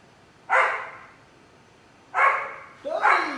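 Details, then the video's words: Keeshond, a male dog, expressing joy after playing in his kiddie pool: three sharp, bright barks, the last two close together after a pause of over a second, in a quiet setting. "Keeshond Expresses His Joy"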